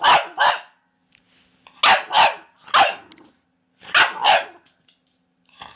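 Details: Sharp, loud dog barks coming in close pairs and triplets, separated by short quiet gaps.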